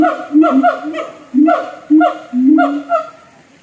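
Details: A siamang kept in a North Lombok zoo calls in bursts of resonant, yelping hoots, some rising and some falling, separated by brief gaps, about two a second, fading at the end.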